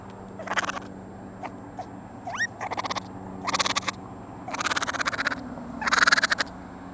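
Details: Young raccoons taken out of an attic, giving bursts of rapid pulsed chittering, each lasting under a second and repeated about every second, with one rising whistled squeal between them over a low constant hum.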